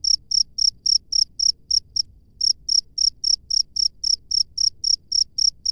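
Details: Free-living cricket chirping: bright, high-pitched pulses repeated about four times per second, a brief pause midway, then the rhythm resumes.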